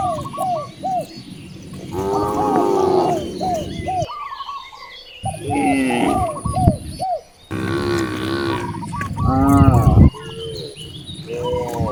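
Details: Hungry cows in a village by vast rice fields give long, deep, harmonic moos, several overlapping in bursts with brief pauses, while birds keep up repeated short chirps throughout.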